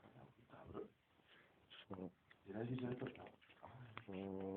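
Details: French Bulldog. A sleeping French Bulldog snores with low, rattling, nasal rasps that come in uneven breaths. Some snores turn into a hum-like drone, and the sound carries the close echo of a small room.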